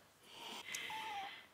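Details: Kitten comfy in bed, wanting milk but reluctant to get up, meowing to be helped down or have the milk brought up; a short tonal meow, slightly falling and under half a second, in a quiet indoor room with coaxing speech around it.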